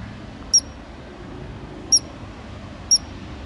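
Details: A ground squirrel in Glacier National Park gives three sharp, high-pitched chirps, each a brief piercing whistle spaced about a second apart.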